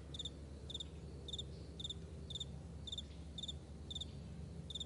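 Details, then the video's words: Crickets calling in a vast meadow at morning: crisp, high trilled chirps arriving about twice per second, steady and rhythmic, against a soft low rumble. "Morning Crickets"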